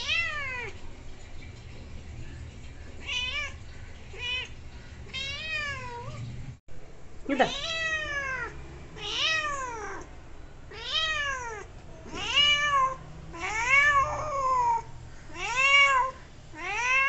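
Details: Kitten meowing while playing and chatting with a person indoors: a long run of about a dozen high, arched meows, each rising then falling, coming in quick irregular bursts, quieter at first over a low steady hum, then louder and closer together.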